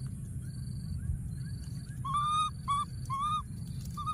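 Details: Baby monkey hiding in a thorny tree, calling for his friend: after two quiet seconds, four clear, slightly rising tonal calls in quick succession, then one more short call. A steady low rumble and faint high constant tones run throughout.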